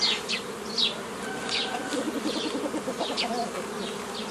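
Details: Continuous hum of honey bees while a beekeeper forms nucleus colonies from a forager swarm, old-style method, 15 May 2018; even mid-pitched droning fills the clip, overlaid by scattered quick high chirps and squeaks.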